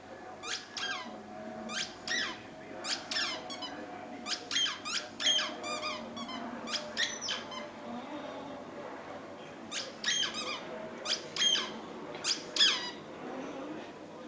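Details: Moppy, a jealous Patterdale terrier indoors, desperate for a ball: high, squeaky whines and yelps come in short bursts of two to four, with brief pauses between clusters. A steady faint hum sits underneath.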